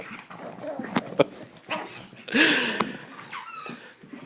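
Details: Two dogs at play, an eight-year-old pug named Peaches and a sixteen-week-old mastiff puppy named Jameson; scattered short growls and whimpering yelps with one louder rising cry near the middle, a person laughing and talking to the puppy.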